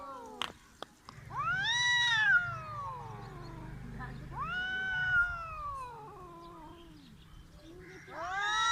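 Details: Cats in a village attempting a fight, with repeated loud arching caterwauls that rise sharply and then sag away, three main howls spaced a few seconds apart over a low steady hum and a few clicks.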